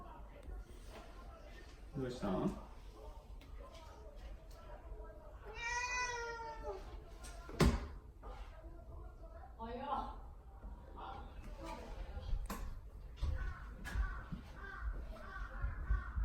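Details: Pet cat Mamedaifuku, indoors and appealing for something, gives a single long tonal meow midway while a person repeatedly asks what is wrong, with soft knocks and household noise around it.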